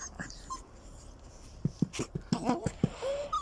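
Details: Puppies playing in the sun: a run of short, low growling and whimpering bursts in quick succession, ending in a thin rising whine, while a person talks nearby.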